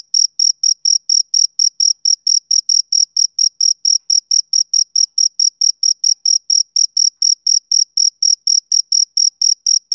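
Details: Rapid, metronome-like chirps from a male cricket, each a crisp high-pitched burst, repeating several times a second without pause against otherwise quiet surroundings.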